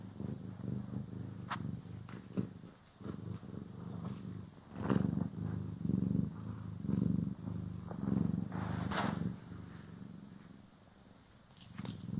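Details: Pet cat purring during a grooming and brushing session, stereo recording: a deep, pulsing purr that swells louder in the middle stretch, then fades, with crisp brush scrapes scattered over it.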